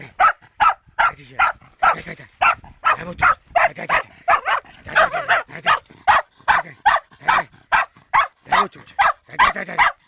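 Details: Fox terrier facing a wild boar for the first time, barking nonstop in fast, sharp, slightly hoarse barks, roughly two to three per second throughout.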